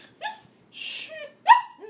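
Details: German Shepherd puppy meeting pet rabbits for the first time gives short whining yelps and a brief bark, rising tonal cries in three bursts, while a man's voice hushes and soothes it nearby.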